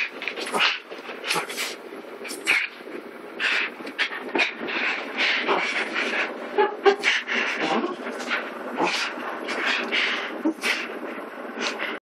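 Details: A Cairn Terrier gives short whimpers and yips while drying off after his shower, over steady rubbing and rustling noise.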